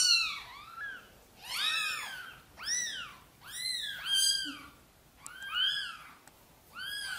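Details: Gentle pleading meows from Sonny, a mother cat seeking help to bring her tiny kittens into the nest: around seven rising-and-falling mews, some doubled, spread unevenly over several seconds indoors.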